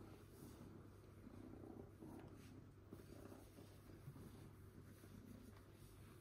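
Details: A pet cat gives a quiet, continuous low purr, a gentle throbbing rumble that holds steady throughout, with faint brief rustles and no other noticeable sounds.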